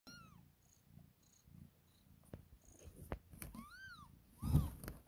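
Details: Two-day-old newborn kittens jostling to feed on milk give thin, arched mews that rise then fall, three clear ones spaced over five seconds, with soft higher squeaks, rustling and handling thumps.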